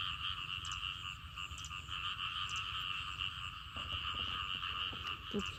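A dense frog chorus after rain, steady overlapping trills and croaks filling the air.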